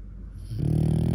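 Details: Cream-coated four-year-old male French Bulldog, apparently bothered by where its jaw rests, starts a deep, steady grumbling growl after a brief hush, holding it to the end.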